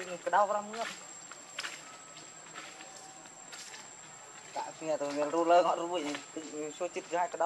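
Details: Hungry infant monkey Leo begging its mother for milk: a short wavering cry, a quiet pause, then a long run of shaky, tremulous whimpers rising and dipping, over faint outdoor background and a constant high tone.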